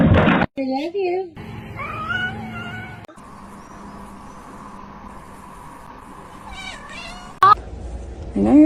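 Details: Domestic cat indoors giving a few wavering, drawn-out meows that bend up and down in pitch. Choppy cuts, a steady low hum and people talking around it.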